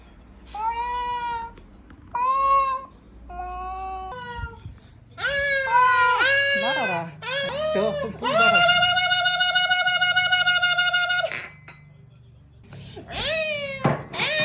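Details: Ragdoll cat teased indoors: three short meows, then longer wavering, rising and falling complaints ending in a sustained loud wail of about three seconds, followed by a brief pause and a final sharp meow.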